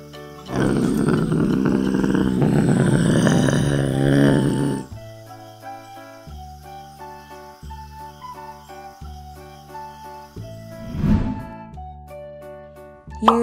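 A Eurasian lynx gives a harsh, rasping growl lasting about four seconds, followed by soft background music.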